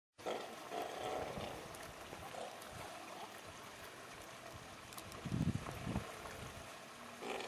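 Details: A newborn Steller sea lion pup of unknown sex, 15–20 kg and about 1 m long, gives hoarse, bleating first cries at an aquarium pool at 8:45 a.m. on 4 June over splashing water and murmuring voices.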